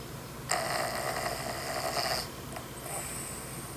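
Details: A sleeping dog snoring indoors: one long, rough, hissing breath drawn out over nearly two seconds, then a quieter, shorter noisy breath near the end.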